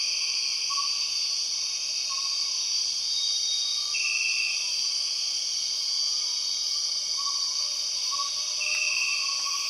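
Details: Borneo rainforest soundscape dominated by empress cicadas: an unbroken, shrill, high-pitched drone with two brief louder bursts near the middle and end, and faint lower chirping notes scattered throughout.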